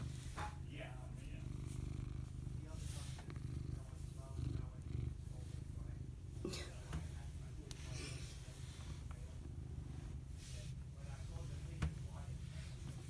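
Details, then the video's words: Domestic cat purring: a steady, deep rumble runs without a break for the whole stretch, with faint scattered clicks and soft background sounds over it. "Purr Cam"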